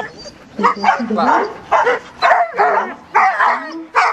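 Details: Border Collie of Maranns Home during an English and Belgian obedience demonstration at the Réunion 2007 gathering on 25 August 2007; short harsh barks repeat roughly every half second in a steady series, with human speech mixed in.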